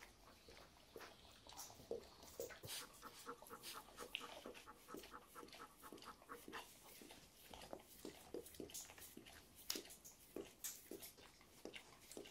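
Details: A Golden Retriever mother and her 9-week-old puppy make rapid, breathy panting and snuffling sounds in uneven bursts, with brief high, thin whimpers breaking through, heard close up in a small indoor room.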